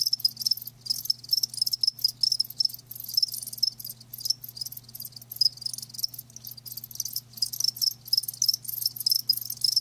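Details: Crickets, described as live, producing a shrill pulsing chorus of quick repeated chirps with short pauses between bursts, over a low constant electrical-sounding hum.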